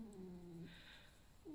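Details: A pet fox lying down and creaking after a lively night, not because it feels unwell. It gives a drawn-out, even, tonal whine that sags and breaks off, then starts a brief second whine, in a quiet indoor room.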